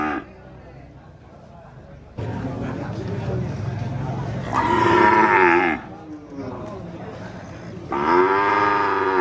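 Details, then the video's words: Cattle mooing, two long drawn-out harmonic moos rising then falling, after a low murmuring stretch, with background rumble between calls. "Suara SAPI mooo | Cow moo sound effect"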